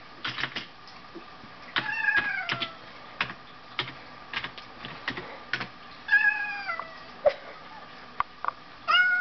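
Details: Two pet cats play-fighting, one rearing on hind legs; high-pitched harmonic mews, falling cries near two seconds and six seconds, a sharp squeak and a final cry, amid clicky tapping and scuffling noises.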